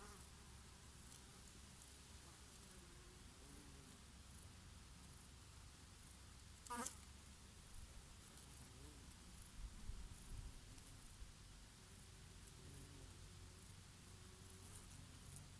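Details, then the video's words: Gentle buzzing of bees feeding on oregano flowers on a summer day, a low continuous hum with faint wavering tones, one sharp click near seven seconds, breeze in the background. "Peaceful sound of the summer breeze and of the Bees and here and there a bumblebee"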